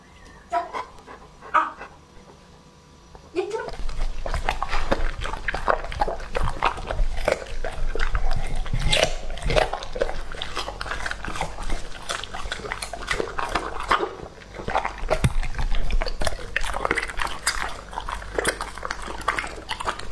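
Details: After a quiet start with a few faint noises, Lucky, a two-and-a-half-year-old male English Labrador Retriever, launches into a raw meal of duck and pork parts: fast, repeated crunching bites and wet smacking, several per second.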